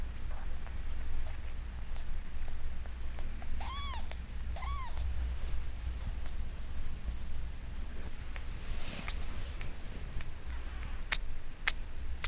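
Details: A five-day-old kitten, possibly a Munchkin mix, whose umbilical cord has just fallen off, gives two thin, arched mews over a steady low hum.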